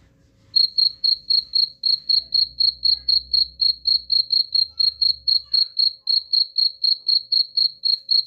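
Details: Cricket chirps offered as a rat repellent, starting after half a second of quiet: a steady train of sharp, high-pitched pulses repeated about four times per second, with faint low rumble in the background.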